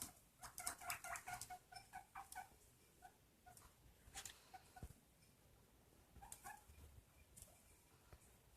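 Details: Pet guinea pig squeaking in a fast series of short, clipped notes at the start, followed by sparser, fainter squeaks and scattered clicks over a quiet indoor background.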